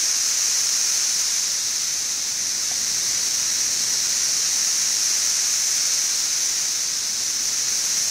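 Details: Mass chorus of periodical cicadas, Kentucky brood XIV, Frankfort, early June 2008: a constant, piercing high-frequency buzz filling the air without pause, steady in volume, quieter than at the peak of the emergence.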